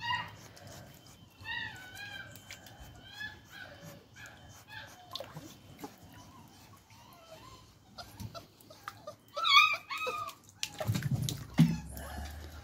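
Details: Beagle puppy learning to swim, whining in many short, high, rising-and-falling whimpers that come in quick bursts, growing louder and more insistent toward the end, followed by rough splashing and rumbling noise.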